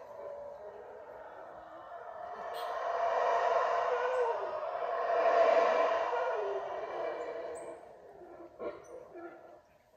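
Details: Howler monkeys calling unseen from directly overhead at the top of the tree canopy at the Mayan site of Yaxhá, Guatemala; a deep, rasping roar swells twice, peaking midway, then fades away.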